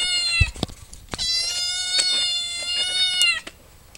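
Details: Domestic cat meowing while someone talks about it moving everything; one long, steady, richly harmonic meow lasting about two seconds, preceded and interrupted by clattering knocks and clicks.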